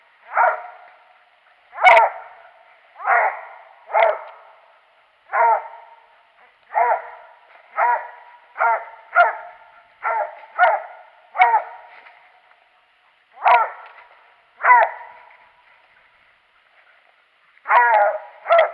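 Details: Squirrel hunting with Daisy the dog, January 21, 2018: a steady run of about seventeen loud, rough barks over nearly twenty seconds, spaced roughly a second apart with brief pauses.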